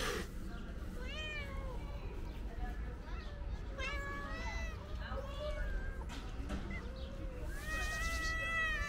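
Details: Calico cat, a stray being fed outdoors, meowing loudly as if wanting to say something; several harmonic meows rise and fall through the clip, with a speaking voice and steady low traffic rumble behind.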